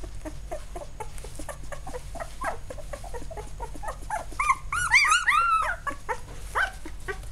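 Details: Newborn field-line Labrador Retriever puppies, eight days old, wriggling together indoors; a rapid patter of faint squeaks builds into louder, wavering high whines that rise and fall, with several small voices calling over one another above a low background hum.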